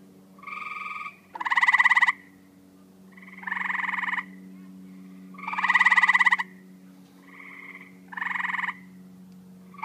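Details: Tree frog calls: strong buzzy pulsed croaks every two seconds or so, interleaved with fainter nasal answering notes, over a steady low electrical-sounding hum.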